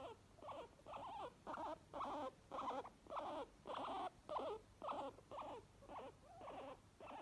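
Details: Two guinea pigs, one white, make happy wheeking noises: quick, wavering squeals repeated almost twice a second.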